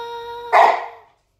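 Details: Samoyed indoors, reluctant when someone tries to chat with it: a single loud, short bark bursts in after a steady sustained musical tone and fades within half a second.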